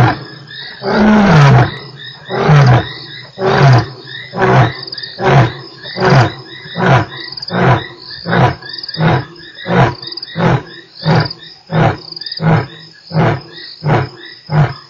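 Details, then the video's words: Lion roar at Nkorho on 3 March: one long opening moan, then a run of about seventeen short, deep grunts, roughly one every second at first and gradually softening, with frogs or insects trilling steadily behind. "lion roars"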